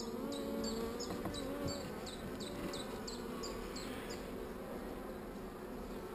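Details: A colony of honey bees with a single swarm cell, not very agitated, hums low and steadily; faint drawn-out tones sit above the drone, and rapid high ticks repeat about four times a second for the first four seconds.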